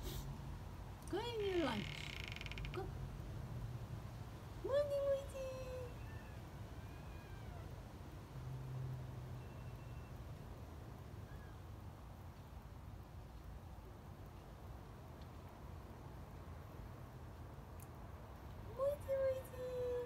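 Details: Young female kitten greeting and chatting: a sharp rising then falling meow early on, another tonal mew at about five seconds, and a final falling call near the end, separated by long quiet stretches with low rumbling background noise.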